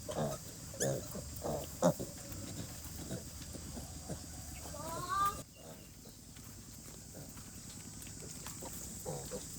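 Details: Mother pig and her piglets sleeping outdoors in very cold weather during rain; a few low, soft grunts early on, then a brief rising harmonic squeal midway, with a steady hiss of rain throughout.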